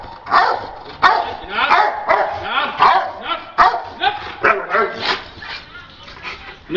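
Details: Dog barking during attack and bite training: loud, harsh harmonic barks in a fast, uneven series of about one to two per second, with some voices also audible.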